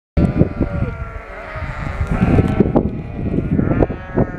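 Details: Shropshire sheep bleating after lambing, newly moved into a field in the Shropshire countryside; overlapping harmonic bleats from several animals with low thumping and rustling noise throughout.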